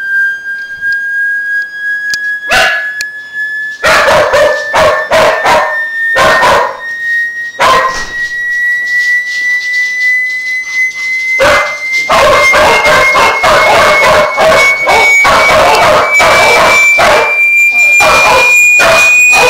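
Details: Dogs react to an ear-splitting, high-pitched noise during a hearing test. Rapid, loud barks and yips come in dense bursts over a steady tone that slowly rises in pitch, with a short pause before barking resumes.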